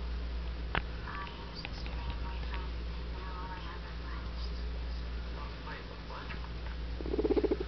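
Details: Guinea Weasley, an adopted pet guinea pig, indoors: faint short rising squeaks scattered through steady room hiss, then a brief buzzy pulsed low rumble in the final second.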